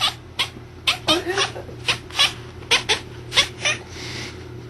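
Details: Domestic cat looking out a window at a bird, making strange noises: a rapid series of short, clicking chatter bursts repeated roughly every half second, with a steady low hum in the background.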